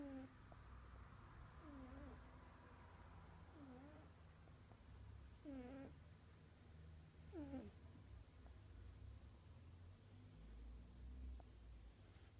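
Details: Cat snore with irregular, falling squeaky notes, some doubled, spaced a few seconds apart over a continuous low-pitched hum.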